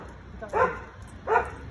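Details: American Akita in Gurgaon, India, gives two short, deep barks about three quarters of a second apart over a low background hum. People praise the dog nearby.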